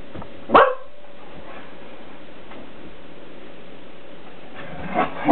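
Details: Two Shetland Sheepdogs, ten-year-old Krystal and nine-year-old Kita, playing indoors with a cat toy while the cat dodges. A sharp, loud bark comes early, then two more barks close together near the end, with quiet room noise between.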